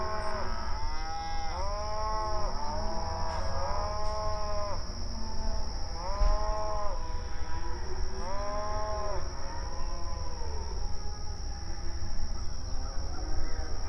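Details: Open range cattle grazing on outdoor pasture, mooing to one another: overlapping arched moos rising and falling, several animals calling in quick succession, over a constant low rumble and a steady high-pitched whine.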